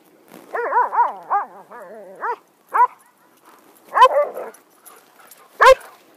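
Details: Pet poodles romping excitedly at home; a run of quick wavering harmonic yips and growly barks in the first two seconds, then sharper single barks at intervals, one loud bark near the end.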